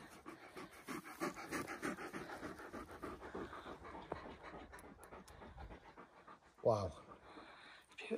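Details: Irish Wolfhounds out on a walk across reservoir, moorland and woodland country. Fast, rhythmic breathy panting pulses run for about five seconds, then fade. A brief human voice follows near the end.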